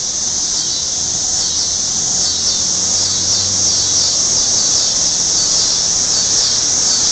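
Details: Cicadas sing at night in a dense chorus, a steady, shrill, hissing buzz that never pauses, during hot weather.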